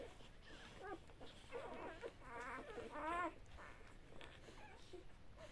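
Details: At feeding time, Great Pyrenees x Bernese Mountain Dog mix dogs (Great Pyrenees mother, Bernese father) give a run of overlapping wavering whimpers and squeaky whines, building to a quavering peak about three seconds in, then trailing into quieter sounds.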